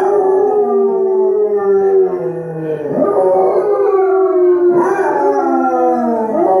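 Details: A Doodle dog howls in long, mournful, wavering notes along with Basset Hounds howling on a television.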